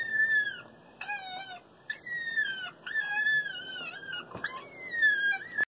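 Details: An electronic FoxPro grieving fox call plays high, thin whines that slide downward, repeated roughly once a second, used to call in a red fox that approached from about 75 yards.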